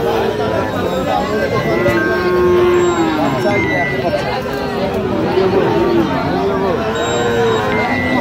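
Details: At a Sirajganj cattle market in Bangladesh, 5 August 2025, Sahiwal bull calves give sustained moos, one sliding slightly upward near the end, while people talk loudly and the crowd murmurs throughout.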